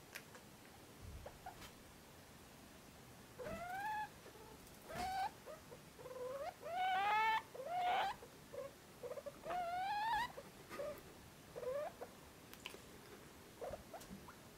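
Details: Drowsy degus giving repeated nasal whining calls that sweep upward, some longer and wavering, arriving in irregular bouts with short soft squeaks and faint rustling between them.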